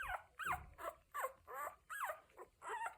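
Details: One-week-old Cocker Spaniel puppies making noises indoors: high, whiny squeals and whimpers, each sliding down in pitch, about six cries in three seconds with short gaps between them.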